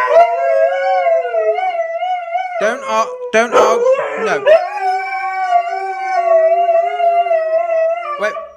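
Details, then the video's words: Two Siberian Huskies indoors arguing with each other and their owner about a mess; long sustained steady howl, broken midway by a burst of yips and a man's voice, then the howl resumes. "Huskies Arguing About Who Made The Mess"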